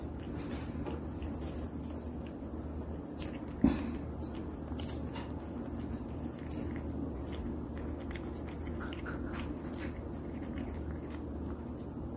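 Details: Domestic cat eating indoors, recorded close up as mukbang-style ASMR: faint, irregular crunching and chewing clicks scattered throughout, with one sharper knock near four seconds, over a steady low hum and room noise.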